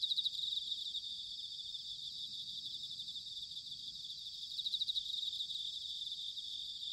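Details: Bell crickets in autumn at Sanuki, Chiba, Japan, keep up a continuous high bright ringing, with louder bursts of rapid pulsed trills at the opening and around four and a half seconds; faint low background hum.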